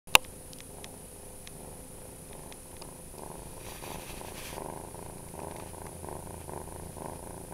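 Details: A scared young kitten, caught the day before in a restaurant parking lot and probably born there, purring possibly from stress; a soft, steady low rumble, faint against a constant high electrical whine.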